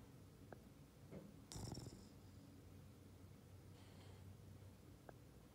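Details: Boston Terrier named Ollie asleep and snoring: a brief soft snort, then a louder rough rasping snore, followed by a faint wheezy breath in a quiet indoor space.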